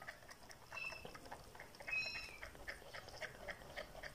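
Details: Orphan neonatal kittens, about three weeks old, being bottle-fed by a foster carer in Pokhara, Nepal: thin high mews at about 1 and 2 seconds over soft rustling and suckling noises.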